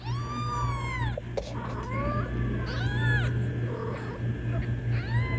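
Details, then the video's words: Kitten meowing to summon its mother, with long wavering cries, some strained and overlapping, repeated every second or two above a steady low hum. "Kittens Meowing To Call Mom"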